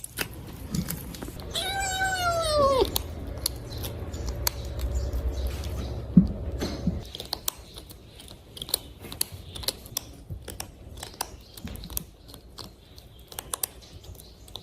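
A single drawn-out cat meow, harmonic and gently falling, serves as a plea for food. After a quiet pause come many irregular crunchy clicks and smacks of the cat eating.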